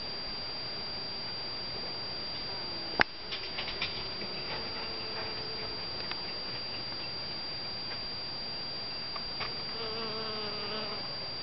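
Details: Honey bees pollinating white and yellow Shasta daisy flowers in a garden in spring and summer. A faint, low humming buzz with overtones comes and goes in short passes over a steady hiss, with a sharp click near three seconds.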